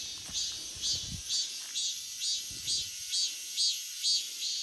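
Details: Cicadas singing in a forest in August: a loud, buzzy, high pulsing phrase repeated about twice a second over a steady shrill drone, with a few soft low thumps early on.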